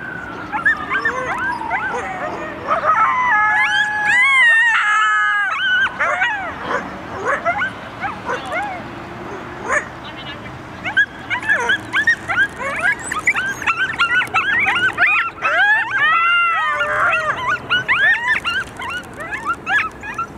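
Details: Group of coyotes answering sirens with a united chorus; a long descending siren-like tone opens, then layered wavering howls and quick arched yips build and continue densely to the end.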